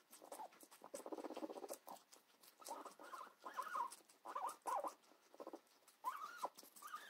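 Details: Pigs eating cucumber, giving short squeaky grunts in bursts, some tonal and rising, mixed with steady crunching and pattering chewing noises throughout.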